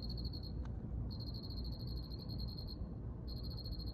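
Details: Cricket chirping in a steady high pulsed trill, broken into bursts lasting about half a second to one and a half seconds with short gaps, over a low rumbling background hum.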